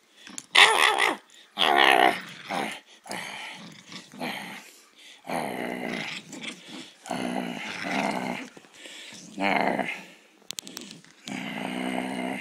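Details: Poodle growling and snarling in bursts while playing a fighting game under a blanket indoors, harsh rough growls between short pauses, with a person's excited exclamations mixed in.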